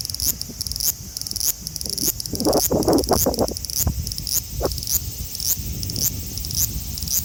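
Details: Male large brown cicada (Graptopsaltria nigrofuscata), Osaka City, Japan, 5 August 2019, phone recording; a loud frying, sizzling drone in quick repeated pulses, overlaid midway by a burst of rustling and scraping handling noise.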